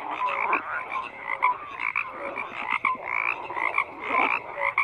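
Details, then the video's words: Frogs croaking in a chorus, with rough pulsed croaks swelling and fading every second or so alongside short clear chirping notes and a few upward-sliding calls. "FROGS CROAKING"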